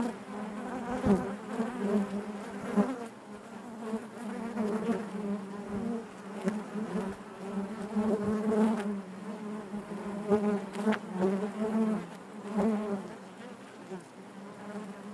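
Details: Steady hive hum of many honey bees inside the colony, a low droning buzz that rises and falls in waves, with brief louder swells and faint clicks of movement throughout.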